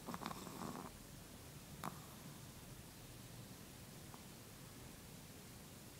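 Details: A sleeping Chihuahua snoring: a couple of soft, breathy rasping snores come in the first two seconds, then only faint room hiss with a light tick or two.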